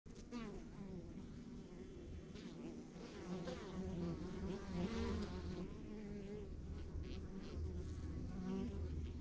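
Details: Honey bees humming at a rural backyard beehive: a dense, steady low drone with overlapping wavering buzzes of individual bees passing, continuous throughout without pause.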